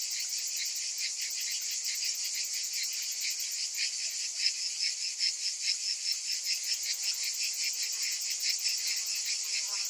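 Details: Summer cicadas filling the air with a shrill, unbroken buzz, high-pitched and softly throbbing at roughly two and a half pulses per second, with no other sounds standing out.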